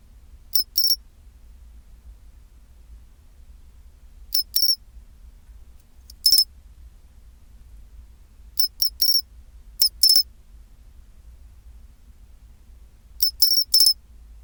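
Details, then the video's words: Pine cricket singing at 24°C, its chinchirorin song: short bright high chirps grouped in twos and threes, with groups coming every two to four seconds over quiet gaps and a faint low hum. "チンチロリン Sound of pine cricket"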